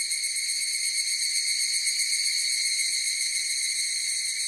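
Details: Massed higurashi cicada song forms a dense, steady, piercing ring of high overtones with a quick fluttering texture, unchanging in pitch and volume over a few seconds.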